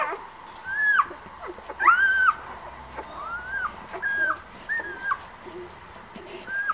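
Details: White Swiss Shepherd puppies from a breeder's litter born 11 August, giving a few separate thin whimpers, each a short bent whistle-like whine, spaced about a second apart over a quiet, slightly hissy background.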